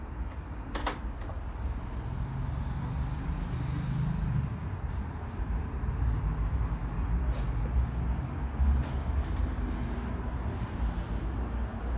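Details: Heavy, continuous low engine drone inside a bus or train, broken by a sharp click and faint door sounds, with no animal voice.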